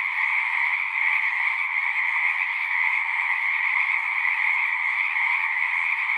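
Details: Frogs calling together at a pond in a horse pasture, recorded on a Zoom 6, form a thick, uniform wall of trilled croaks, two layered pitches, continuous from start to finish.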